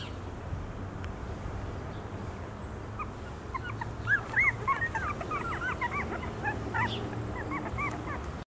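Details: Two-week-old Champagne and Blue Standard American Bully puppies in a litter, giving many short high squeaky whimpers and yelps that overlap in a busy chorus from the middle onward, over a low steady background hum.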